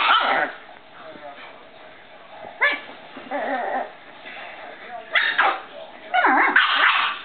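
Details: A Boston Terrier playing with her owner gives short, rough barks and whiny yelps in scattered bursts.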